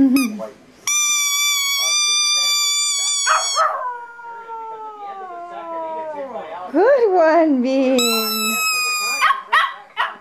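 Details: Male pet Chihuahua howling only at one particular squeaky toy: long piercing toy squeaks alternate with a drawn-out falling howl that dips, rises briefly and sinks again, followed by more squeaking and brief yips.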